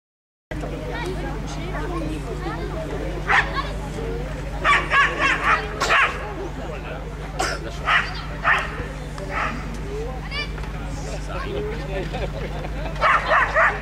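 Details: Belgian Shepherd barking during agility at the Nationale d'Elevage Berger Belge: short, sharp barks in loose bursts, several close together around the middle. Steady crowd chatter, a loudspeaker voice and a constant low hum run underneath.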